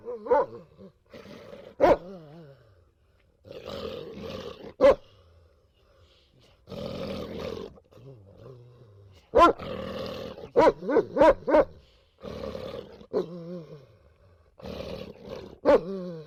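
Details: Dogs vocalising in a funny dog compilation: drawn-out, wavering, moaning howls and growl-like groans in separate bursts with silent gaps, plus a few sharp clicks or yelps.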